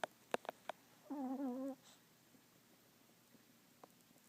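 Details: A deeply sleeping Chihuahua gives a single nasal, whistling snore lasting about half a second, steady and slightly wavering, preceded by a few sharp clicks in a quiet room.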